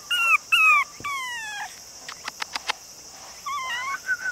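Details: Cream-and-white male long-haired Chihuahua puppy, 48 days old, weighing about 480 g, in Nara, Japan, on 2 September. Loud, thin whines with downward-sliding pitch come in a burst, then a pause with faint clicks, then more wavering cries.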